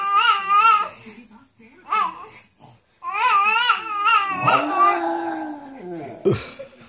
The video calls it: Marley the bichon frise and lily having a sing along